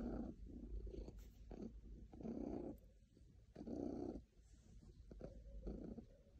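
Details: Very happy domestic cat purring close by, a deep vibrating rumble that pulses in loud inhale-exhale cycles about every second and a half, with brief softer gaps between.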